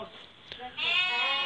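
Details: Flock of Merino sheep for sale from Hungary to a customer from Turkey; after a soft, distant bleat, a loud, bright, quavering bleat breaks in at mid-clip and carries to the end.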